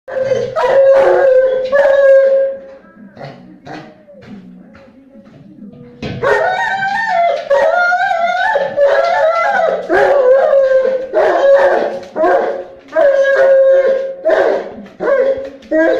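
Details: Neapolitan Mastiff named Maxie, a dog that hates gas cylinders, howling and barking while fighting one: sustained wavering howls, a quiet pause midway, then louder yowling howls mixed with sharp barks.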